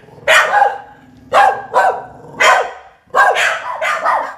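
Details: Indoor barking by two insecure Border Terriers reacting to people entering the house: loud, separated barks in short bursts, some ending in a yelping, whiny bend, about nine over a few seconds.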